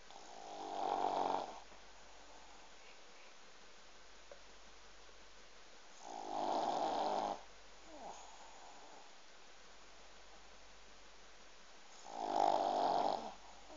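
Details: Snoring pug indoors: three long, raspy, rumbling breaths spaced about six seconds apart, each swelling and fading, with near silence between.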